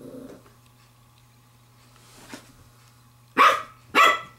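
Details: A female Pembroke Welsh Corgi puppy aged 7 weeks 6 days, playing with a glove, gives two sharp, loud barks in quick succession after a quiet start.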